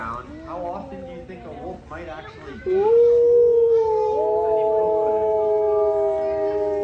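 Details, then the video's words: Wolf howl: after a few seconds of talking, one long, smooth, steady drawn-out note begins and holds to the end with a slight waver, rich in overtones. "Wolf Howl"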